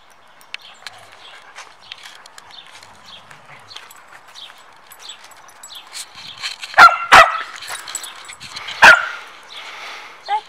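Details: Samoyed dog at training time, with Zuko pestering Mozart; faint background chatter and clicks, then three loud sharp barks close together near the end, plus a softer bark at the close.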